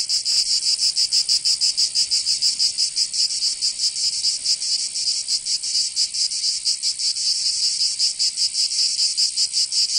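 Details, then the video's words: Summer cicada chorus from Provence in the south of France, a harsh rasping buzz with uneven, surging pulses and overlapping singers, the rhythm less regular than a single caller, no other sounds. "Canto Cigarra 🦗 [ Escuchar les cigarras en verano 10 H]"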